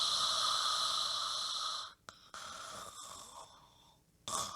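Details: Deeply sleeping dog snores loudly into a microphone: a long steady whistling wheeze lasting two seconds, a brief snort, softer fading breaths, then a sudden loud snore returning at the close.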